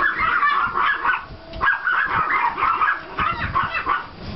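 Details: Pomeranian and klein spitz puppies from two litters out walking in a yard after snowfall, 5 April 2014, giving a rapid run of high, overlapping yaps in short bursts, several pups calling at once, with outdoor rumble beneath.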